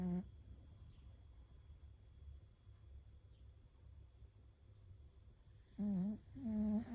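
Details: Fukuko, a sleeping beagle, snoring indoors with nasal breaths described as a chorus: soft low breathing, then a wavering nasal whine-like snore near the end and a second sustained, tonal snore just after.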